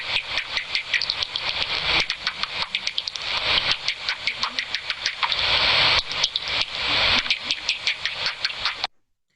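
Bat echolocation, converted so people can hear it, comes through as a fast, uneven stream of sharp, dry clicks that rattle on for several seconds. The bat uses these pulses to find its way in darkness by their echoes.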